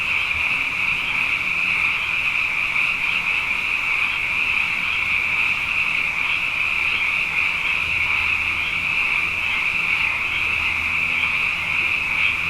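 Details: After two wet years in a row, abundant frogs sing night after night; here a thick, steady high-pitched chorus with slight pulsing, over a faint low humming background.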